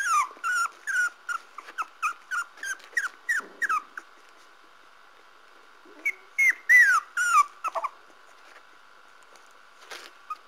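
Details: Parson Russell Terrier puppies giving a rapid string of high, squeaky whimpers that slide downward, about a dozen in four seconds, then a pause and another short burst, over a steady faint background hum.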